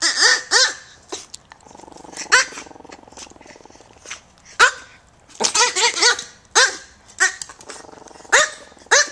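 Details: Two tiny micro teacup poodles from American bloodlines, living in Hong Kong, yapping in short high-pitched barks in uneven bursts, some doubled or tripled, with a faint buzzing hum between them.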